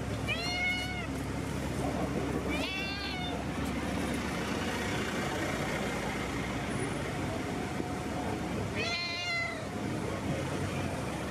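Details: Friendly street cat greeting and demanding attention outdoors in a city: three clear, harmonic meows, rising then falling, near the start, around three seconds and again near nine seconds, over steady urban traffic rumble and distant voices.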